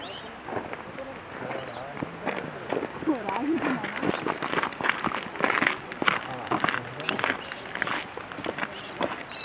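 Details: Japanese macaques give soft, rising and falling coo-like calls amid rustling and footsteps during a collective group movement at Jigokudani, Japan.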